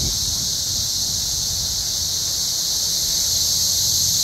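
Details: Cicada invasion in forest trees near Columbia, Missouri: an unbroken, dense high-pitched drone of many cicadas holds steady throughout, over faint low rumble.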